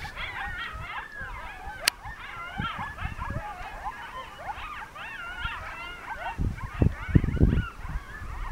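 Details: Evening chorus from a coyote pack in Northern New Mexico's mountains as a monsoon storm begins; dense tangle of sliding, yodeling howls and yips throughout, a sharp click near two seconds, and low gusty thuds near the end.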